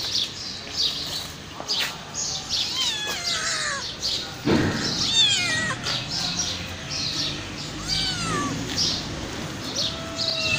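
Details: Hungry homeless mother cat with five kittens crying loudly before being offered food: a steady run of high, overlapping meows, many sliding downward, some wavering. A dull thud comes near the middle, with faint background hiss.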